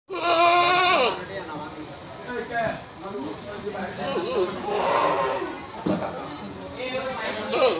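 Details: Goats at a small goat market in Jalilganj, Pathorghata, Chattogram, offered ahead of Manasa Puja 2021; one loud, quavering bleat fills the first second, then people talk and chatter around the stalls, with fainter calls in between.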